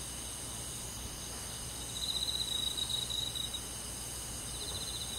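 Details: Summer night in countryside woods: a cricket's pulsed high trill swells for about two seconds mid-recording, then fades back into a continuous hissing insect chorus.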